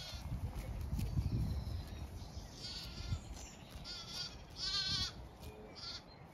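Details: Zwartbles ewes and lambs grazing fresh, wet pasture on a regenerative farm in County Kilkenny, Ireland; several wavering, quavering bleats sound over about six seconds, set against low rumbling wind and grazing noise.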